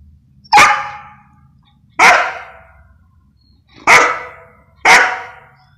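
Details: Belgian Shepherd Malinois giving barks on the "speak" command in personal protection training: four loud, abrupt, harsh barks spaced one to two seconds apart, each quickly fading, over quiet background.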